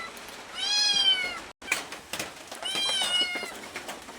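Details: Domestic cat asking for food: two drawn-out, high, harmonic-rich meows, each about a second long, the first slightly falling, separated by a brief silence and some clicking handling noise indoors.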